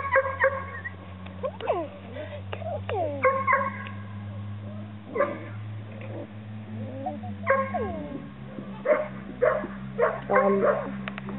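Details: Several Chesapeake Bay Retriever puppies give high, sweeping whines and short yips in irregular bursts, some rising and falling in pitch, while a person talks softly to them over a steady low hum.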